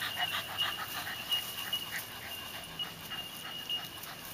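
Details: Puppies at seven weeks at play with grown dogs, quick uneven breathy pants in short bursts, airy hiss-like puffs over a constant thin high-pitched tone.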